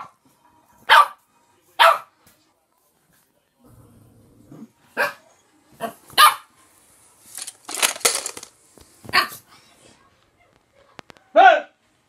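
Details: A Boxer puppy gives sharp, high, yappy barks, spaced irregularly with pauses, at a pot of pencils, filmed 7 June 2020; Boxer bark.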